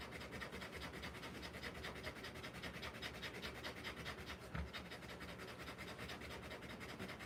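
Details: Rottweiler giving birth to puppies, breathing in rapid shallow pants, roughly two and a half per second, slightly uneven, with a short thump partway through.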